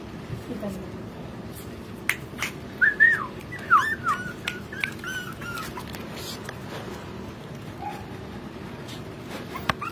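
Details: Pomeranian puppies, male and female, give brief, high, whistly whimpers that rise and fall amid background noise.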